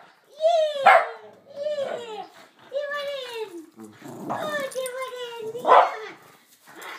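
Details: Two dogs, Oskar and Mutti, at play, giving long tonal barking howls that slide downward in pitch, about four drawn-out bursts in seven seconds, with a person's voice now and then.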